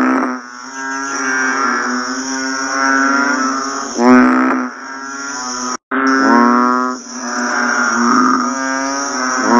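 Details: A chorus of banded bullfrogs right after a rainfall: low, nasal, lowing calls overlap one another and rise in loudness at intervals. A constant thin high hum runs underneath, with a brief cut near the middle.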